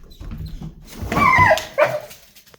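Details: A pet dog gives two short tonal vocal sounds in quick succession. The first is longer and slightly falling, and the second is brief and bright, about half a second later. Faint low rumble lies underneath.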